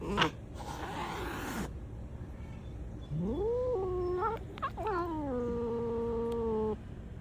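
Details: Black cat giving a drawn-out meow that starts low, climbs sharply and breaks briefly, then settles into a long, level wail lasting about two seconds; a burst of rustling noise is heard near the start.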